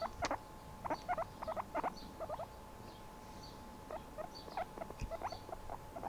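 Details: Chilling pet guinea pig making a rapid series of short, bright squeaky chirps in clusters of two or three, about ninety notes a minute, with faint rustling and a steady hum behind.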